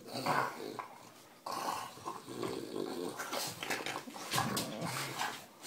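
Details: Female English Bulldog Nugget mouthing her owner's toes, giving a low, gravelly growl that runs almost continuously with rustling and snuffling noise, louder at the start and again near the end.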